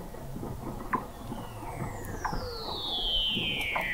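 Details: November 2017 recording 21 m under McMurdo Sound sea ice, Antarctica: a Weddell seal's long high whistle sweeps steadily downward and grows louder, above scattered low knocks and clicks.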